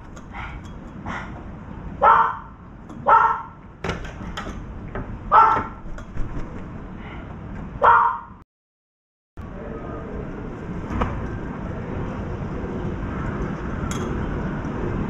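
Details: A dog barks and drives off a drenched crow perched on the left. Sharp barks ring out about once a second, mixed with shorter yips, for eight seconds. A brief silence follows, then steady background hiss with a faint click.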